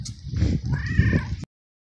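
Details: Stray little male cat, abandoned in a garden, screams while eating: a strong rising-then-falling harmonic meow over heavy low chewing and rustling noise, cut off abruptly.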